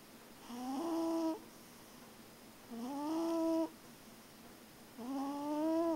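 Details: Deeply sleeping cat snores: three drawn-out, humming nasal tones, each gently rising and lasting over half a second, spaced about two and a half seconds apart, with near silence between breaths.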